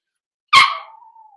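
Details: A single loud, high yap from a six-week-old blenheim Cavalier King Charles Spaniel puppy, one of a small litter in an indoor puppy pen, ending in a thin, steady whining tail that fades over about a second; the room is silent.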